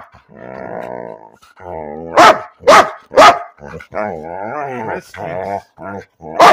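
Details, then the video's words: Dog making talking noises for no apparent reason: long, modulated groaning growls that rise and fall, interrupted by three loud sharp barks and ending in another bark. "Dog talking about nothing"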